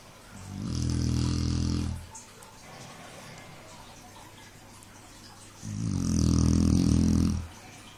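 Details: Domestic dog fast asleep, snoring loudly indoors: two long, low, rasping snores of about a second and a half each, roughly five seconds apart, with a faint hum between them.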